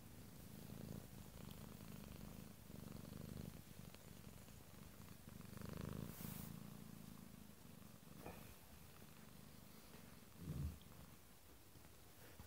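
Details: Roxy, a female cat, purring while fast asleep: a low, steady rumble rising and falling in breathing phases of one to two seconds, with a faint rustle near the middle and a short louder snuffle toward the end.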